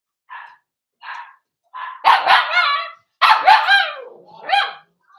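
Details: Cavalier King Charles spaniel puppies, four weeks old, indoors: a run of soft short yelps builds into longer, louder crying whines that slide downward in pitch, ending with a final rising-and-falling whimper.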